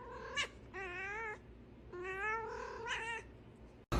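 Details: Domestic cat in a funny cat compilation, voicing three drawn-out, wavering meows, each held for about half a second or more, in a quiet room.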